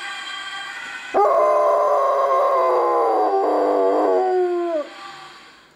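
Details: A dog howls along with a Dutch ambulance siren, one loud, drawn-out wail that starts abruptly, holds steady for over three seconds while gently sinking in pitch, and ends with a fading tail under the siren.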